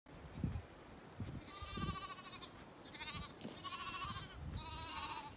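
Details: Zwartbles bottle lambs in their snuggle pile spot their owner approaching and call for milk; tremulous, wavering bleats in several bursts with low thumping footsteps beneath.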